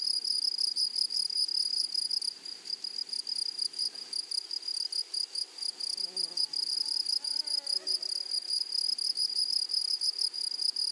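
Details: A high, sizzling pulsed buzz of grasshoppers fills a flowery meadow, steady throughout, with a few faint, lower chirping notes surfacing briefly in the second half.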